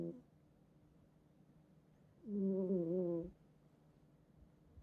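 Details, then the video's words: Domestic cat asleep in a bed at home, snoring: one drawn-out, nasal, whistling snore about a second long with a wavering tone, surrounded by quiet room noise. "고양이 코골이 실화냐? | 코 좀 그만 골도록 해 잠좀자자"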